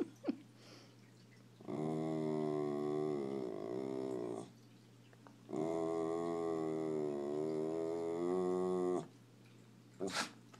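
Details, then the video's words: A dog making a scooter-like noise: two long, steady, droning growls, each about three seconds, rich and buzzy with a slight waver in pitch, separated by a short pause, then brief faint clicks. "Dog sounds like scooter"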